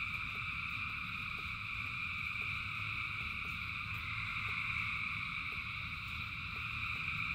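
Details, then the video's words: Massed frogs calling during rain, their continuous high trilling chorus holding level throughout, layered bands of sound above a steady low wash of falling rain and scattered soft clicks. "Frogs in Rain 2 Hours of Frogs, Thousands of Frogs Singing"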